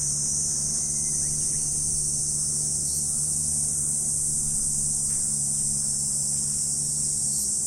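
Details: A seamless high buzzing trill from many insects on an autumn morning, never breaking, with a low droning hum running underneath.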